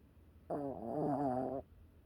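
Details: Sleeping pet puppy at home snoring: one drawn-out, tonal, gently wavering nasal snore lasting about a second, with rich layered overtones, in an otherwise quiet indoor room.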